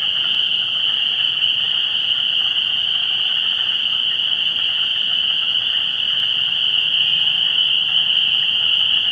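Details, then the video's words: Amphibian chorus at a vernal pool, 17 March 2016, before spring: countless frogs blend into a continuous piercing whine, with softer buzzy trills under it and no break in the sound. "Pre-Spring Vernal Pool Amphibian Activity"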